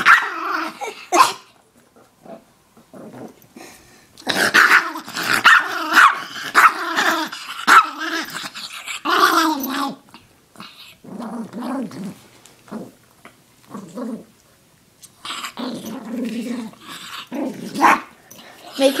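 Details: Interrupted during a rest, Koda the chihuahua answers with bursts of throaty growling and grumbling, about one a second, broken by short silent gaps, with brighter yipping accents mixed into the louder stretches.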